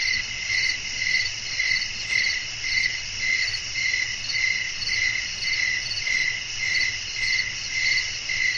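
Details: Chirping crickets at night, wind blowing softly. Evenly spaced, piercing pulses of a high ringing tone swell and fade about twice a second, layered over a steady faint rumble.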